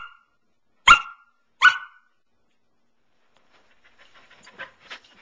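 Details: Two loud, sharp barks come less than a second apart from Pearl, a female Samoyed aged nine months lounging on her couch, followed by quiet scattered rustling.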